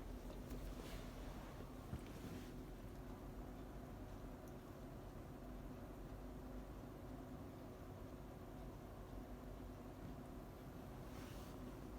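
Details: Steady low rumbling wind noise throughout, with no animal voice heard.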